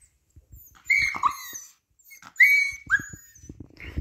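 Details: Siberian Husky puppy whining: high, thin tonal whimpers that slide downward, several short cries in bursts with brief pauses, plus soft handling noises in between.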